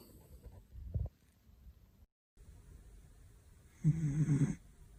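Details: Sleeping dog snoring loudly: a short low rasping snore near the first second, then a louder, longer rumbling snore toward the end, with quiet breathing between and a brief silent break.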